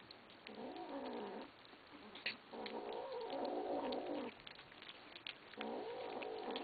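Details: Kittens growl at each other over food after begging to be fed: long, harmonic, wavering growls lasting up to three seconds, broken by short pauses and faint clicks of eating.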